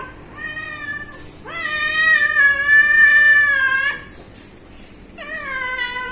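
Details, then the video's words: Pet cat calling in three clear meows: a short one, a long sustained meow of over two seconds with a steady then gently falling pitch, and a final rising-then-falling meow; quiet background. "आमच्या म्याऊ😻 cute cat video"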